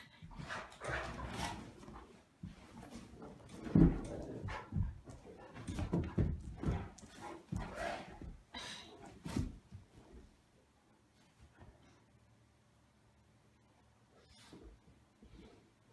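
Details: Two Great Danes tussling playfully on a bed indoors; deep, rough rumbling growls and grumbles in uneven bursts for about ten seconds, then fading to near quiet with a few soft scuffles.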